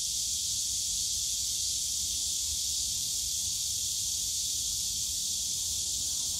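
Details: Steady shrill cicada chorus from the bamboo forest at Yongsan Family Park on a summer day, an even hissing buzz with no pauses, a soft low hum of park background beneath it.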